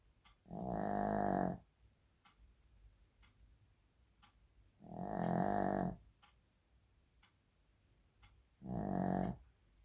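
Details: Shih Tzu snoring indoors: three long, rasping, buzzy snores roughly every four seconds, each about a second long, with faint soft clicks in the quiet gaps between breaths.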